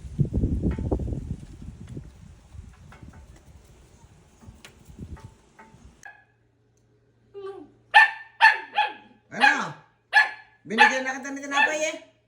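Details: Aspin dog, a Filipino native dog, barking in a home setting; after some handling noise and a pause, a run of loud, sharp barks with falling yelps repeats about every half second, with Filipino speech heard before.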